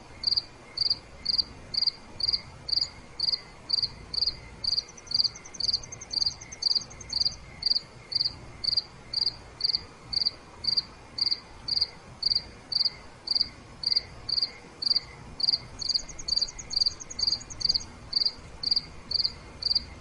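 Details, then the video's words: Crickets chirping at night: steady pulsed chirps repeated about twice a second, a second faster trilling insect joining briefly twice, no other sounds. "5 Minutes Nighttime Cricket Sounds—Relaxation Sounds Nature Crickets Chirping Cricket Sounds Night"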